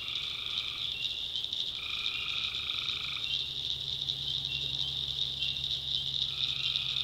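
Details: Steady high trilling of a night tree frog chorus in the North Carolina backwoods, with longer droning notes at the start and end and a soft low hum beneath.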